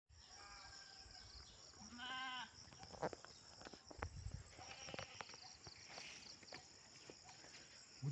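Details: Goat put out to graze on grass gives a single short, nasal, wavering bleat of about half a second, amid rustling, knocks and a steady high insect hiss in the background.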